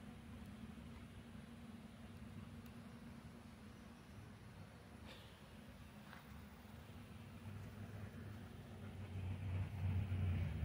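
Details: Faint low rumble like distant traffic or an engine, growing slightly louder near the end, with no animal calls.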